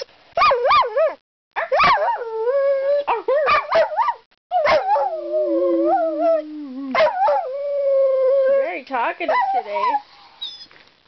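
A dog 'talks' in wavering, singsong howls and whines that swoop up and down in pitch.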